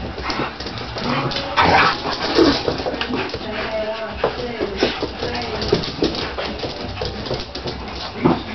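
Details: Siberian Husky puppies at play with their big brother Echo, an adult Siberian Husky; brief high whimpers and yips between scuffles, a person speaking and telling Echo to calm down.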